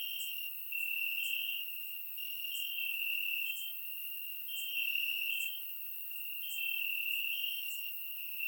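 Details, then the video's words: Night chorus of crickets in grass, Bulgaria, warm summer: a sustained high-pitched trill pulsing louder and softer about every one to two seconds, with faint sharper ticks above, recorded using a surround microphone. "Cricket Sounds - Crickets Chirping at Night"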